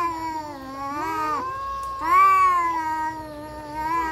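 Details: Fighting domestic cats give a continuous low moaning yowl that bends upward and swells around the midpoint, with a second voice wavering alongside it throughout.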